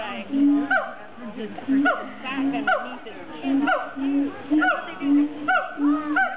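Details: Captive siamangs at a zoo give a series of short, hooting calls roughly once per second, each with a low steady note and quick upward-swooping tones, separated by brief pauses.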